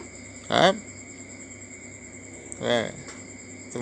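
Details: Orange stray Thai cat dropping by late at night for a meal of mackerel or fried squid with rice: two short harmonic meows about two seconds apart, each slightly arched then falling, over steady high cricket trills.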